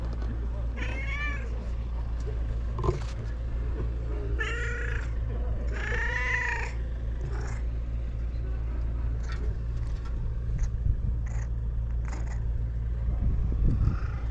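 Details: Stray cats on a cat island, filmed with a GoPro HERO8: three drawn-out, arching meows near the start, one short and two longer, over a steady low hum, followed by quieter scattered clicks and rustles.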